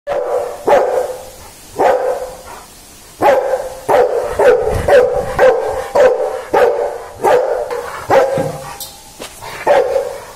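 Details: A Rottweiler barks in deep, gruff bursts, often two or three in quick succession.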